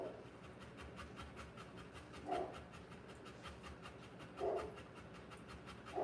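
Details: Rottweiler in labour, giving birth to puppies, panting in fast rhythmic breaths throughout, with brief louder squeaky bursts at about two-second intervals.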